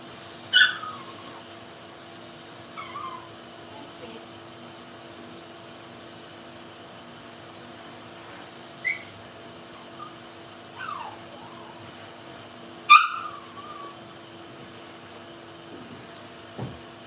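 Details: Blenheim Cavalier King Charles Spaniel puppies, a litter of five born at New Year's, in an indoor puppy pen after moving to a bigger pen; a few short high squeaky yips with falling pitch, spread out over a steady faint hum.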